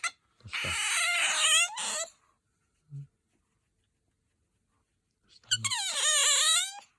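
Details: Pet otter giving two very high, piercing squeals, each about one and a half seconds long, with wavering harmonics. A brief quiet gap separates them, and a person speaks just afterward.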